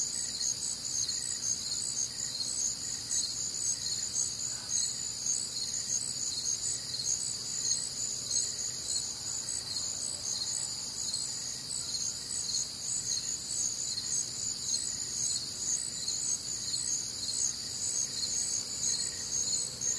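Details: Crickets calling through a warm, humid summer night in the American Midwest, a constant dense shimmer of high trills lasting throughout, with soft regular pulses beneath and no other clear sounds.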